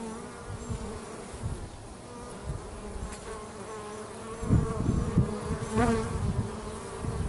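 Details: Bees at home, busy at work, heard as a steady low buzzing hum with layered droning tones, swelling louder in bursts as individuals pass close, around four to six seconds in.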